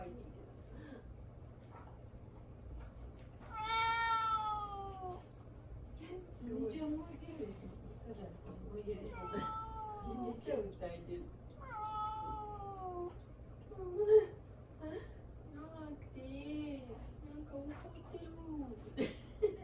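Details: Attention-seeking house cat meowing at an owner who keeps ignoring it: several clear, wavering meows, some long and some short, scattered through the recording, with quieter chirps and murmured human speech in between.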